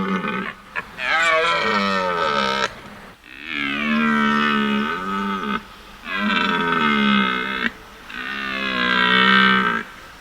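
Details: Deer roar in the night: four long, deep, croaking, moaning roars, each two to three seconds, with short pauses between.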